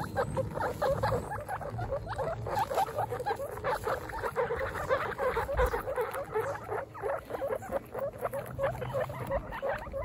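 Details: Young female guinea pigs out on a first picnic keep up a dense stream of short squeaking calls, many overlapping, over a background of rustling and movement.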